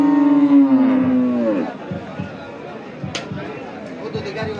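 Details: Qurbani cattle at the Hazratpur Paragram haat, Bangladesh, 3 May 2025. A long, steady, low moo holds for about a second and a half, then sags and fades into soft thuds, shuffling and a brief sharp click.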